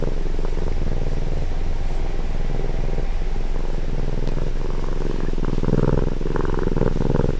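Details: Domestic cat recorded at close range, purring with a low, steady rumble that rises and falls in breathing cycles of roughly two seconds, with a faint mechanical hum underneath.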